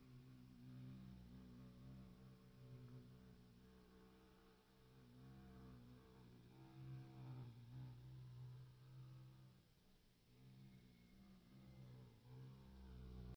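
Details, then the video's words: Low steady humming drone of Bombus sylvarum workers making orientation flights, recorded in 2023, rising and falling gently in loudness as bees circle, with a faint higher buzz near the end. "Bombus sylvarum workers - orientation flight"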